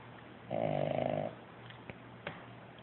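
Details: A puppy asleep and snoring loudly, recorded on an Android phone. One long, rough, raspy snore lasts under a second and is followed by quiet breathing and a couple of soft clicks.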